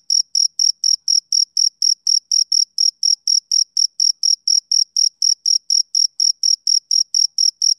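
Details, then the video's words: High, crisp chirps from a male cricket on a summer evening, each a short pulse, evenly spaced at nearly four per second with nothing else audible. "Cricket Chirping Sound Effect"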